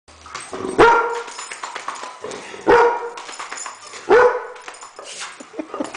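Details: Weimaraner barking wildly in reaction to guitar sounds; three loud, harsh barks spaced about one and a half seconds apart, each with a sharp onset and falling tail, amid scuffling and indoor noise.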